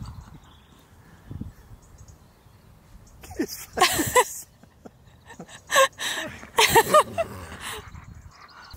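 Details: Keyush the husky outdoors at a birthday party he throws for his best friend, singing to him. After a quiet start come several short, wavering, howl-like vocal bursts in quick succession, with faint background noise between them.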